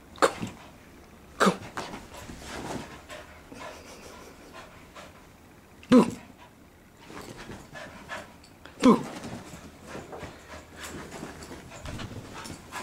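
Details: Soft-coated Wheaten Terrier playing with a toy indoors, giving short sharp barks at about 1.5, 6 and 9 seconds among quieter panting, while a person excitedly calls and says "Boo!" to urge him on.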